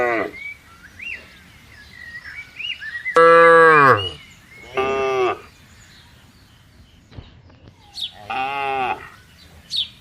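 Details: Tame cattle wandering a farm field, giving three drawn-out moos, the first loudest and falling in pitch at the end, separated by quiet gaps filled with faint chirping birds.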